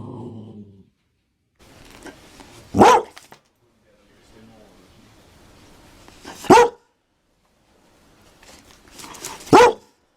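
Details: Dalmatian giving single sharp barks spaced roughly every three to four seconds, each a loud broadband bark preceded by quieter breathy sounds, with a low hum at the very start.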